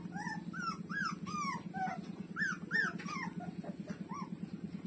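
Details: Nursing street dog puppies, among them Lulu, feeding at their mother; quick bouncing whines and yelps rising and falling in arcs, several each second, over a low droning pulse.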